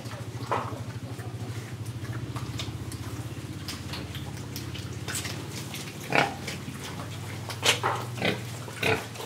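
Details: Pig in Indonesia breathing and eating, giving a long, steady train of low pulsed grunts that forms a continuous droning rumble, with sharp chewing clicks and snorts breaking in toward the end.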